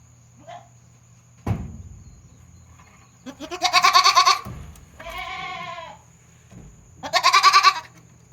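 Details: Farm goat kid with its head stuck out, uttering a strange voice on 22 June 2022; a thud, then a loud trembling bleat, a lower smoother moan, and another loud quavering bleat, with a faint squeak at the start.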